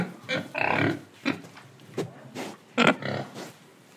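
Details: Breathing, eating pig from Indonesia: a sustained nasal grunt, then several short snorting grunts and one sharp loud oink, followed by softer huffs.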